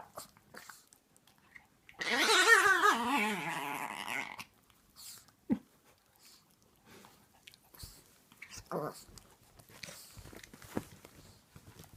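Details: A tiny, very vocal adult female Chihuahua playing with a 6-month-old Chiweenie puppy gives a loud, two-second, gremlin-like wobbling growl-whine that warbles up and down, followed by soft scuffles, taps and faint movement.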